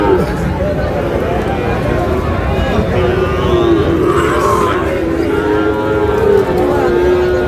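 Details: Sahiwal bull calves at a crowded livestock market on 18 June, bought by a farmer from Noakhali; a drawn-out, steady mid-pitched moo lasts several seconds under continuous crowd chatter and bargaining voices.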